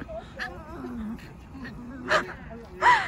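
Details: Excited Boston Terrier Mocca whining at a playground on spotting her favourite soft, bouncy ball; wavering whimpers and squeaky rising yelps, with a woman talking to the dog in between.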